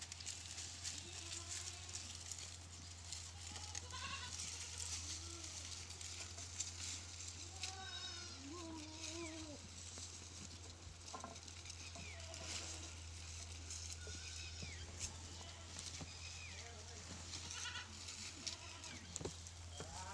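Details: Pateri goat with four kids, farm-kept; many wavering, nasal bleats of varied pitch overlap and repeat throughout, some higher and shorter, over a steady low hum and faint background noise.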